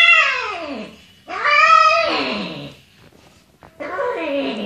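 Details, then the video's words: Domestic cat calling during a successful mating: three loud, drawn-out harmonic yowls in under five seconds, the first sliding downward, the second swelling up then falling away, the third again descending, heard in a small quiet room. "Cat matting successful"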